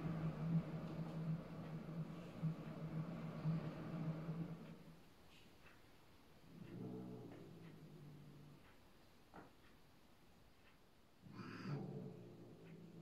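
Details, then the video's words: Indoors, Bengal cat Yuki settles rank order with another cat and shows who is the new boss: a low, steady rumbling growl runs for five seconds, followed by two shorter growls with faint clicks between them. "Bengalkatze klärt Rangordnung"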